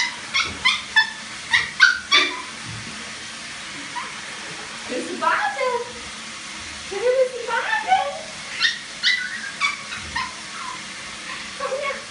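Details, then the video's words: Teacup poodle that wants a bath, whining with short high yelps early on, then drawn-out whimpers that rise and fall, with faint talking in the background. "Teacup Pudel will Baden!"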